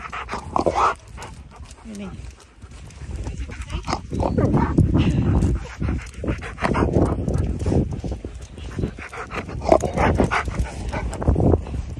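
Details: Siberian Husky out on a walk, talking and snorting at its owner while passers-by look and laugh; rough, low, breathy snorts and grunts in irregular bursts, with a brief tonal whine early on and background rustling from the walk.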